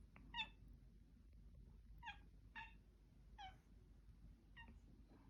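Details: Mila, a cat, making weird noises: short, sharp harmonic chirps in quick bursts, five of them spread across a few seconds with brief quiet gaps, against a low room hum.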